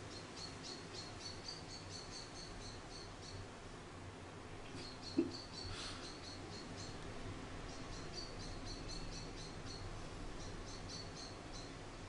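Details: Soft, rapid high-pitched squeaking comes in runs from an orphaned baby grey squirrel, Charlie, being raised by hand after falling from a garden nest; one brief thump interrupts partway through, over steady low hum.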